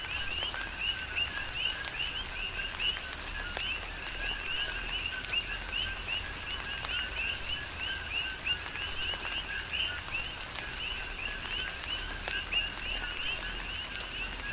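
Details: Continuous coqui frog chorus in tropical rain, Big Island, Hawaii: numerous callers give rapid, overlapping two-tone chirps, low then high, in a steady pulsing stream, with rain pattering throughout.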